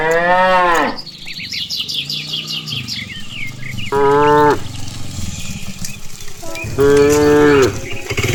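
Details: A herd of cows, being led home along a rural path after grazing on grass, gives loud, drawn-out moos while small birds chirp in the background.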